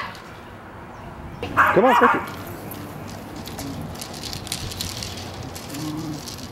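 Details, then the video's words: Welsh Terrier named Nigel, very excited by a hula hoop, gives one short, strained, yelping whine-bark of about half a second, followed by rustling, scuffling play noise. "Welsh Terrier Nigel vs. the Hula Hoop"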